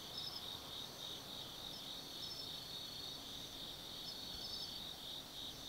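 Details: Night chorus of autumn forest insects at Tsukimi no Mori, Nannō, Kaizu in Gifu, Japan, overlooking the Nobi Plain: continuous shrill trilling layered with short bright chirps repeating irregularly, with a soft low hum beneath.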